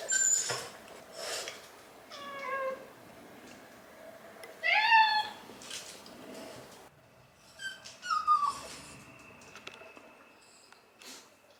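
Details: Shiba Inu Hachi waits inside by the front door, lonely for an absent owner. Several short, thin whines come in irregular bursts, some rising then falling in pitch, between soft shuffling and household noises.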